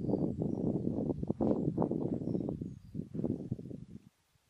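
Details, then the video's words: Red deer stag in the rut, mostly the same fourteen-pointer: a loud, rough, continuous roar of rapid low grunts for about four seconds, then stopping. "Brame du cerf"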